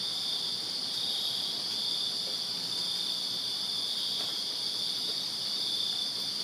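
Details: A summer night in a Virginia backyard filled with crickets, their high, even trilling merging into a continuous ringing wall of sound without breaks.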